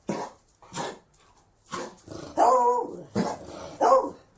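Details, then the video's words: Rapid, rough Beagle barking, six harsh barks in about four seconds. The later ones are louder and more drawn out, with a slightly hoarse, bay-like tone, indoors. "Sonido de un Beagle"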